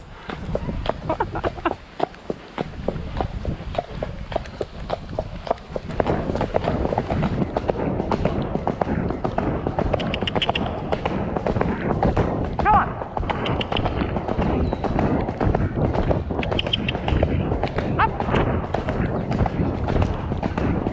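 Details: Shire horse De Goot Damon of Ostsee Shires on 2 May, heading out to collect a new boarder from Falkendorf after early rain. Steady hoof strikes land about every half second over a constant rumbling, hissing road noise that rises after the first seconds.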